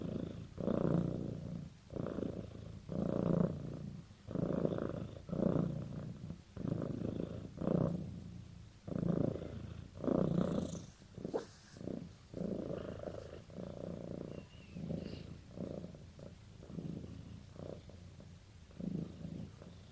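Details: Cat purring as a sign of a close bond with its owner; rhythmic low rumble pulsing with each breath, growing quicker and shorter in the second half, with a faint brief scrape midway.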